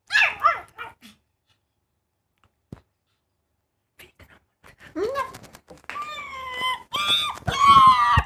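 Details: Pug puppy giving short high yelping barks, then drawn-out whining, wavering cries with a clear tone, with a man's voice speaking nearby.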